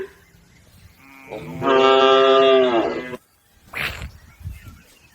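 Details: One cow of a herd crossing a river toward the livestock pen gives a long, level, richly harmonic moo of about a second and a half, followed by a brief low grunt and quiet rumbling.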